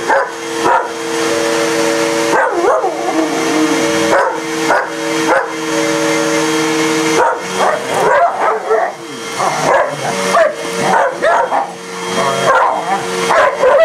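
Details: German shepherd and shepherd/husky mix attacking the vacuum: spaced barks early, then a long stretch of fast, frantic barking and yips, with the vacuum cleaner droning throughout.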